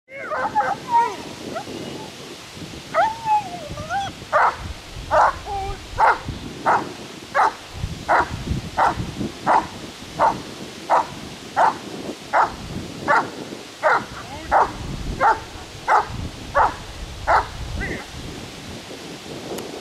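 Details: German Shepherd in protection training, kept under control, giving a long run of sharp, evenly spaced barks about every second, preceded by a few higher whining, wavering yelps at the start.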